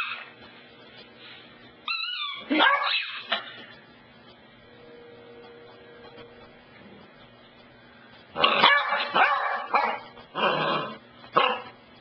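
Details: A pet dog named Cassidy fussing with the couch: a brief high whine and a few yips early on, a quiet stretch with faint steady hum, then a cluster of rapid, uneven barks near the end.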